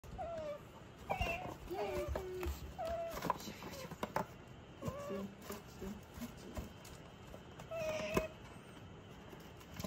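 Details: A female pet otter, angry at her owner for the first time in a long while and freezing up, gives a rapid string of short, whiny squeaks and falling chirps, some doubled, over scattered clicks and handling noise.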